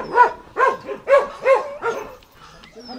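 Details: Jindo dogs fighting: a rapid burst of five sharp, yelping barks within two seconds, each rising then falling, then quieter sounds.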